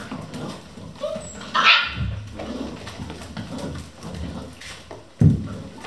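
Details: Vizsla puppies, one of a litter of eleven at a hunting kennel, playing at 3 am; two short sharp yelps or barks about three and a half seconds apart over soft scuffling and low thumps.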